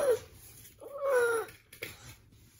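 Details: Ragamuffin cat, indoors, pestered by a one-year-old girl offering edamame soybeans: a brief meow, then a longer, drawn-out meow that slides gently downward for about half a second, followed by a few soft rustles.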